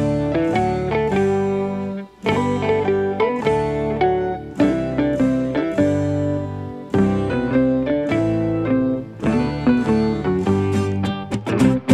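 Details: Plucked string instrumental music plays in phrases separated by brief pauses, with no animal sound.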